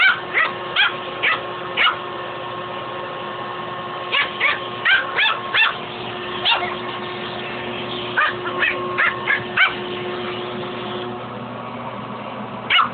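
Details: Dog named Fuzzy battling a shop vac hose: bursts of quick, shrill yapping barks come in irregular clusters with short pauses, while a constant low mechanical drone runs underneath.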